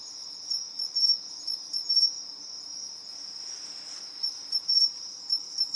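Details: Two bell (pine) crickets compete in call-and-response, trading high, bell-like chirping bursts over a steady, shrill insect trill.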